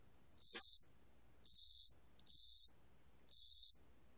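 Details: A spring-and-summer cricket gives four shrill, buzzy chirps at uneven intervals, with a faint click just before the third, against a quiet background.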